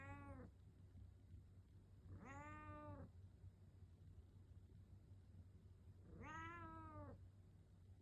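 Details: Domestic cat meowing to wake its owner in the morning, indoors: three drawn-out meows near the start, at two seconds and at six seconds, each rising then falling, with quiet gaps and a low steady hum beneath.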